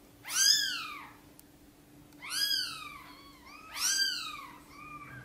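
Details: Mother cat Sonny meowing gently as she asks for help bringing her tiny kittens into the nest; three arching, harmonic-rich meows about every 1.7 seconds over a faint steady hum.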